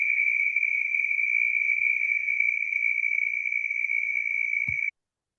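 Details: Southern toad (Anaxyrus terrestris) in North Carolina gives a steady, very high-pitched trill that runs without a break; its trill can last up to 30 seconds.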